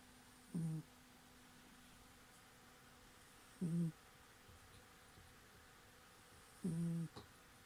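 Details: Sleeping cat snoring softly: three short, low, buzzy snores spaced about three seconds apart, each lasting a fraction of a second, with near silence between them in a quiet indoor setting.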